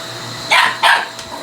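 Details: A male Shiba Inu picking a fight with a vacuum cleaner indoors gives two sharp barks about a quarter second apart, over a steady mechanical hum from the running machine.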